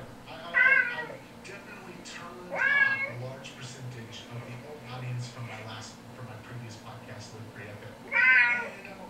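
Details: Recorded kitten mewing, played back to household cats indoors: three loud, bright, arching meows spaced several seconds apart, with softer murmuring and a low hum filling the gaps.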